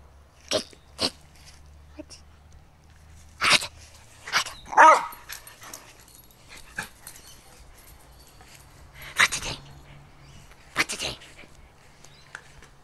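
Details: Bella, a 13-year-old female Jack Russell Terrier, playing energetically with her bone: scattered sharp clicks and thumps, with one short harmonic growl-like vocal burst midway.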